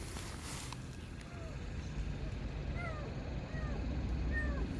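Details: Tiny palm-sized lost kitten crying from under a parked car before being rescued; several short, faint, falling mews spaced about half a second apart over steady low engine-like rumble.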